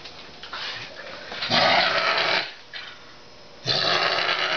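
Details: A bottle-raised male Canada lynx gives harsh, raspy, drawn-out calls, two long bursts separated by a quieter pause, defensively warning his keeper off his chicken leg at feeding time.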